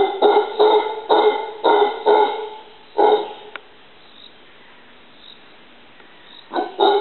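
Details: A howler monkey in a yard tree in Costa Rica gives a series of hoarse, barking calls, each short and rough, in quick bursts.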